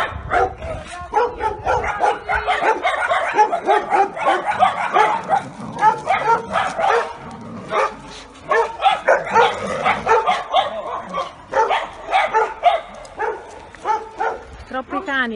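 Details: Giotto, a neutered Bull Terrier that began attacking its owners at five while being held back from another dog, during a training session: dense, continuous harsh barking with brief pauses, voices talking faintly underneath.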